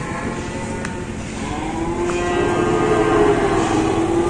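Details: Cattle arriving at an Indonesian market for slaughter: one long, steady lowing moo swells and rises slightly in the second half, over a constant rumble of engines and traffic.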